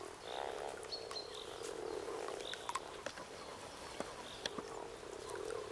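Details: Mating-season frog chorus at Kassinurme on 25 April 2011: many frogs give soft, purring croaks in overlapping bursts, with sharp clicks and splashes and faint high bird chirps in the background.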